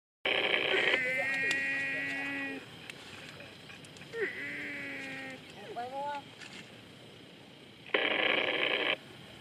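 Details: Young water buffalo calf crying while searching for its mother: two drawn-out, nasal bawls of about a second and a half each, the second wavering and breaking into short rising notes, framed by loud bursts of harsh broadband noise at start and end.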